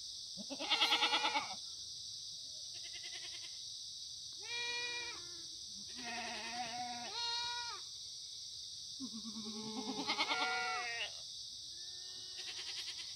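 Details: Korean black goats grazing freely at a Gimhae farm below Muchuksan, South Gyeongsang, on a clear Monday morning in September 2019. A loud tremulous bleat opens, then several goats answer with nasal, wobbling bleats of varied pitch, with a steady high-pitched hiss behind.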